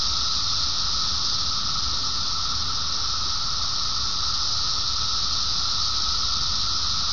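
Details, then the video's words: Cicadas singing in one continuous, unbroken high-pitched hissing drone that holds steady from start to finish, layered over a low rumbling background noise. "金蟬鳴呼 Sound Of Cicadas"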